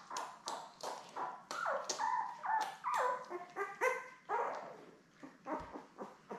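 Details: Seven Labrador Retriever newborns with their mother Belle, filmed live after their May 24, 2021 birth: loud, tonal yelping squeals, some rising then dropping in pitch, in quick irregular bursts.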